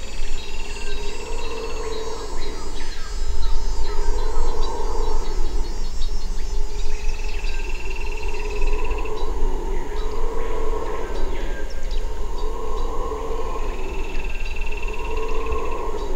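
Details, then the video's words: Red howler monkeys in Suriname roar in long, deep, swelling waves that rise and fade every couple of seconds. "Howler Monkey sounds"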